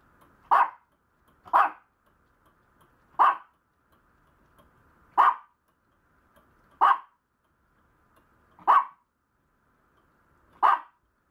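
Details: Maltese puppy barking: seven short, sharp yaps spaced about one and a half to two seconds apart, each a brief bright burst, over a quiet, steady background hum.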